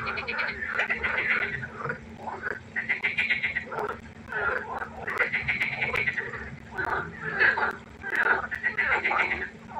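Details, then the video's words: Frogs croaking at night beside a pond. Loud overlapping rattles and grating pulsed calls swell and fade in bouts of roughly one to two seconds, forming a busy chorus. "1 Stunde Froschkonzert. Frosch Geräusche quaken. Frösche Geräusche Konzert"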